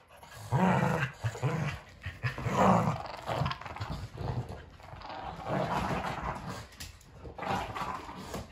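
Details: Kumo the Keeshond and Sully the Boston Terrier in a game of tug; repeated low growls in bursts, rising into grumbling snarls and then easing, with shuffling and tugging noises between them indoors.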